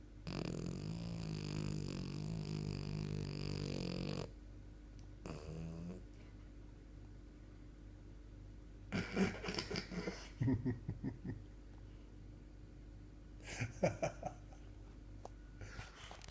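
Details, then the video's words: A French Bulldog relaxing on a sofa snores with a long, low, rattling rumble, followed by quieter snorts and breathy bursts. "French Bulldog's amazing snoring"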